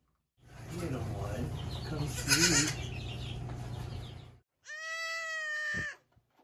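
A young goat gives a high, clear, steady bleat after a stretch of rustling handling noise.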